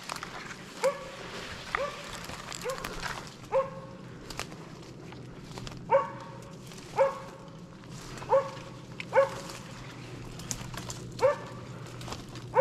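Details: Arrow, a Slovakian hound, bays a wild boar held in place during a November 2022 driven hunt in Sweden: a steady run of about a dozen short, ringing barks spaced roughly one second apart, with a low constant hum underneath.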